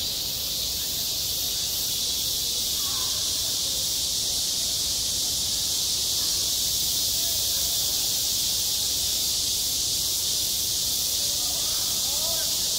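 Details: Cicadas singing in midsummer at a school playground: a dense, unbroken high buzzing drone holds steady throughout, with only faint traces of other sounds beneath it.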